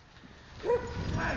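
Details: A Pit Bull named Bruno during defence work gives one short, harmonic bark midway, amid a man's firm Czech commands to hold and release and steady background noise.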